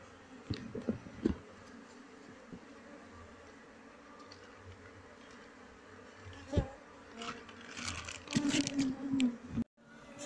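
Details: Honey bee colony being moved into a cultivation box after the queen is secured. A soft, steady hum carries under scattered thuds and scraping handling sounds, and it grows louder and busier toward the end.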